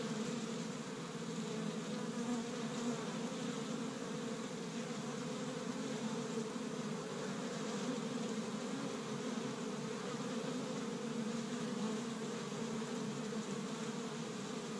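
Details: Busy spring honey bee colony at an established hive in Michigan, first warm day, foragers collecting tree-bud pollen; continuous droning buzz with a low throbbing hum, slight swells in loudness, no other sounds.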